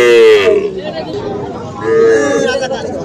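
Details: Cattle at Aftabganj livestock market, where small Sahiwal bull and heifer calves are sold on 3 February. Two fairly high, harmonic moos, each drawn out then falling, about one and a half seconds apart, over a background of people chattering.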